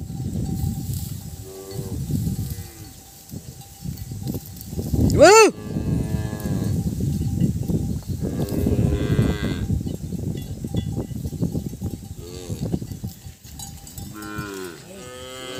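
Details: Several calves call together because they cannot find their mothers: repeated bellowing moos of varied pitch, one sharply rising and loud, overlapping through the recording, with a steady bell-like ringing tone and background noise.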